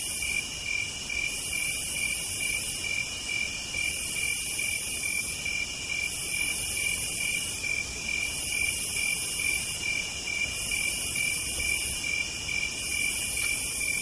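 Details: Chorus of cicadas on a southern night: regular rasping high buzzes recur roughly every two seconds, layered over a continuous thin trill, with nothing else clearly heard.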